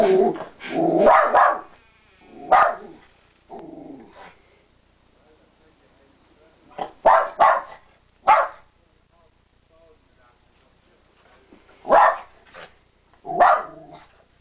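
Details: A female West Highland White Terrier gives sharp, bright barks, singly and in quick clusters with pauses between, while watching dogs play outside through a window.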